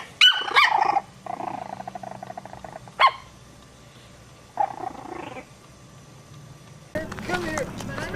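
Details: Puppies give a burst of high, squeaky yelps at the start. A single sharp yap follows a couple of seconds later. Quiet human voices murmur between the barks, and mixed noise closes the recording.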